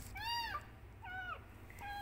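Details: Kitten calling loudly for its mother with short arched meows, three brief cries in quick succession over a low background rumble.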